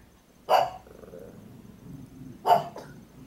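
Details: A pug barks at the door, thinking someone is there, while a toy stays clamped in her mouth: two sharp, muffled single barks about two seconds apart, with a faint short huff after the second and a quiet room around them.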